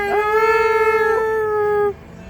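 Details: Pet dog singing along to music, a single long steady howl held for almost two seconds, level pitch with rich overtones, then cutting off.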